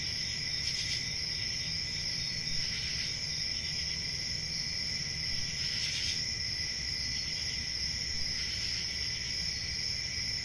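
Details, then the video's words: Shrill, unceasing cricket trilling from a summer night forest, with occasional brief brighter bursts a few seconds apart and a soft low rumble underneath. "Relaxing Cricket Sounds For Sleep Ambient Summer Night"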